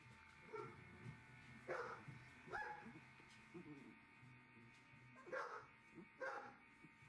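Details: Litter of 2.5-week-old Galgo Español puppies from 2020 in a kennel: soft, thin whimpers and squeals at irregular intervals, some with a rising then falling pitch, over a steady electrical hum and faint background voices.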